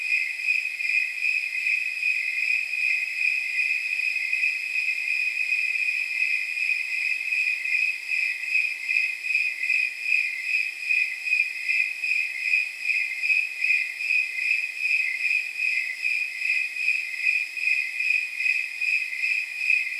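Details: Snowy tree crickets chirping on a warm night estimated near 79 degrees; steady, evenly spaced, bell-like high chirps repeat about two and a half times per second, continuous and unbroken throughout.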